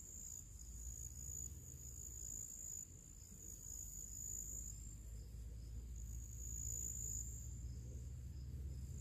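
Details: Summer crickets singing ahead of evening among other small creatures: a constant shrill trill that briefly thins midway, over a prominent low hum and rumbling ambient noise.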